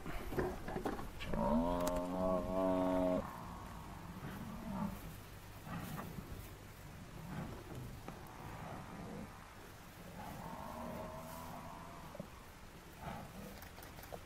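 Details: African buffalo bull in distress, brought down by four male lions: one loud, strained harmonic bellow lasting nearly two seconds, followed by quieter groaning moans and scuffling noise.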